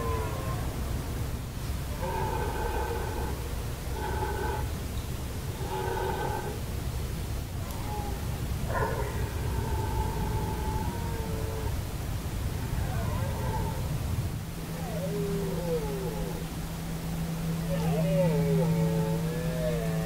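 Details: Red deer stags roaring in Hoge Veluwe, 2017: deep harmonic bellows in a series of short bursts, then longer wavering calls, over a steady low hum and a noisy rumbling background.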